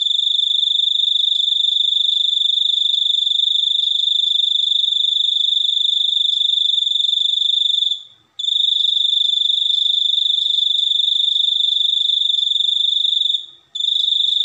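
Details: Continuous high buzzing cricket song, evenly pulsed, interrupted twice by short silences before starting again.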